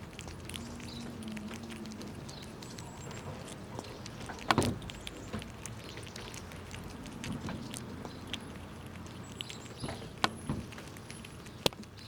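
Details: In winter, squirrels feed noisily on nuts and push each other around: dry cracking crunches and soft, irregular gnawing taps, over a faint low hum, a thin high tone and a steady background hiss.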